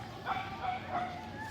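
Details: Barking dogs in Tokyo's Koganei Park, Japan: a few brief, clipped barks in quick succession, with faint voices and park ambience behind.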